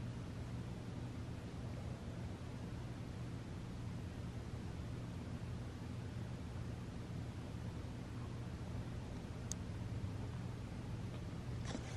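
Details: Quiet indoor room tone with a faint hum, soft rustles and one sharp click near the end, without any clear animal sound.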